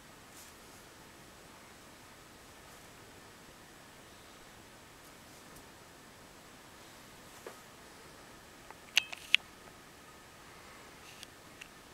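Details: A quiet indoor room with faint hiss and a handful of sharp clicks and taps near the end.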